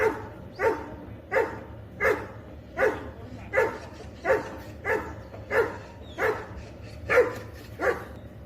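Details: Labrador Retriever caught on home CCTV, giving evenly spaced single barks about every 0.7 seconds, each a short woof, with a steady low hum in the background.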